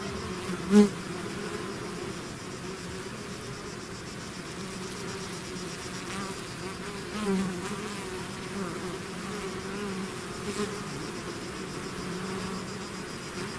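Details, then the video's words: Bees swarming out of their hive make a thick, unbroken hum, the droning texture holding level throughout with a couple of louder individual bees passing close by. "bees therapy swarm natural buzzing sound"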